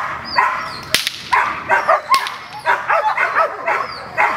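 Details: Gold, a female dog facing an unfamiliar decoy at protection training on May 12th, barks in rapid irregular bursts, roughly ten barks, interrupted by two sharp loud cracks.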